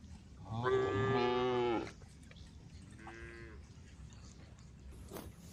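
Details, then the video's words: Female cows on the road calling to the herd; one full, wavering moo in the first two seconds followed by a quieter, shorter low call against a noisy background. "the sound of cows calling the herd"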